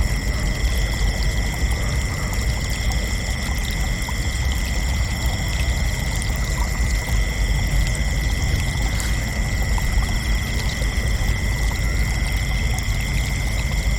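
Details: Night chorus of crickets, continuous and even, with high, thin, ringing trills layered at several pitches and a beaded pulse in the middle band, set against a heavy low rumble throughout.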